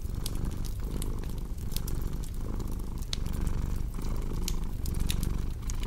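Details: A cat's rumbling purr rising and falling roughly every second with inhale and exhale, sprinkled with bright clicking pops of a crackling fire.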